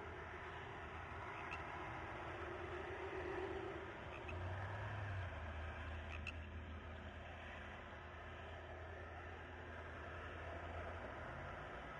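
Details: Steady low rumble of passing vehicles, like road or rail traffic, with no animal calls heard.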